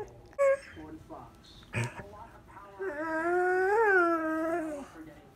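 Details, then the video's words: A four-year-old male borzoi howling with its owner; after a few scattered soft noises and a clatter, a single wavering howl rises to a peak and then falls away. "Bandit talks and sings! Borzoi howling"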